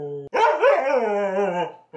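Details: Sassy, very vocal pet Siberian Husky yelling at his brother at home: one long drawn-out whining yowl of about one and a half seconds, wavering then falling at the end, with a person's voice just before.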